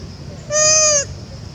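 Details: A young mother monkey, on the second day of not seeing her baby, weeps for it. She gives a single loud, steady, tonal cry of about half a second that bends downward at its end, over faint low background rumble.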